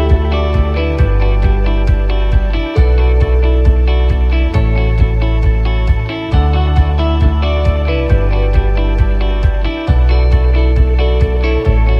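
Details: Strummed guitar music plays steadily throughout with a regular beat and no animal sounds.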